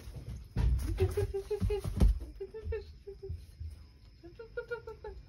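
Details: Three-month-old Rottweiler puppy indoors at night, greeting its dad on his return home: short high whimpers repeated in quick, uneven bursts of about three per second, with some low thumps and background noise.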